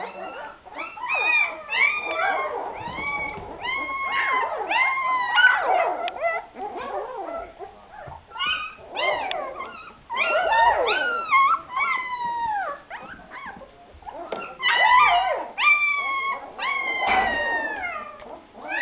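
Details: Several Afghan Hound puppies at the Szitár al Fidda kennel crying in chorus, loud bursts of overlapping high whines and squeals that swell and fade in waves.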